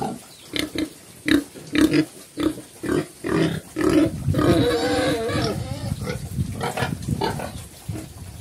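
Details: Black pigs called Chrouk Kandorl in Cambodian, a mother with her young on a Cambodian farm, grunting low and rhythmically about twice per second, then a longer wavering, higher call midway, fading into quieter mixed grunts and background noise.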